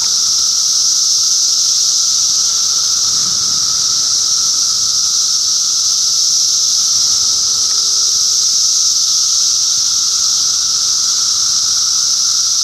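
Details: Dense, unvarying high buzzing from cicadas in Middlesex County, New Jersey, June 2013, layered over a quieter lower tone. The sound runs without a break from start to finish.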